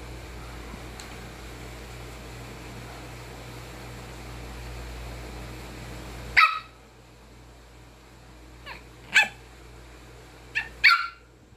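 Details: A Pomeranian, angry at a hanger holding a face mask, gives sharp, high-pitched barks in irregular bursts after a quiet, humming start.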